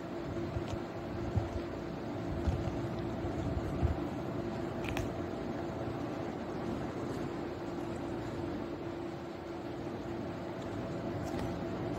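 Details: Continuous fan-like indoor hum with a few faint knocks, and no animal calls.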